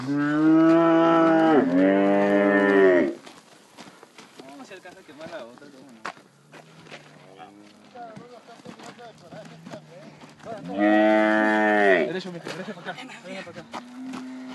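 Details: Calf bawling during branding work at Pedro Celestino Negrete, El Oro, Durango: a long, strained moo lasting about three seconds, then people talking and rustling, then a second long bellow followed by a shorter low call.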